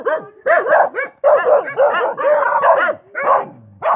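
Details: Dog giving a dense run of loud, hoarse barks and yips, nearly continuous, some sliding down in pitch, ending with a short whimpering tail before one last bark.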